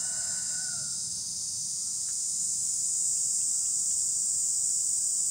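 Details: A cicada singing in a tree gives a continuous, shrill buzzing drone that holds steady and high throughout; a faint rooster-like crow and a few other brief chirps sound weakly at the start.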